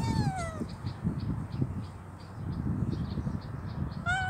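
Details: Amputee stray kitten with troubled eyes, hungry, meows twice: a descending wail at the start and a sharp rising one at the very end, separated by rustling and soft bumps with a repeated high chirping in the background.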